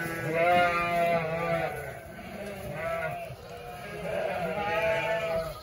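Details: Flock of some 900 ewes with 900 lambs; distinct quavering bleats with rich harmonics come in waves every second or so over a continuous background of many more calling sheep.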